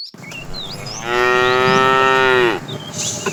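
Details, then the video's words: A tame cow roaming the road looking for food lets out a single sustained, even moo of about one and a half seconds. Birds chirp faintly before and after. "Funny cow sounds"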